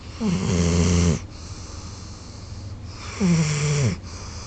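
A golden retriever snores in deep, rumbling breaths, each lasting about a second.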